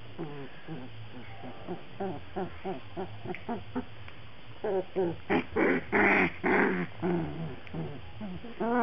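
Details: Black Labrador Retriever puppies from a breeder's litter, a rapid series of short, high whimpers and squeaks with harmonic bands, growing louder and more crowded toward the end as several pups cry together.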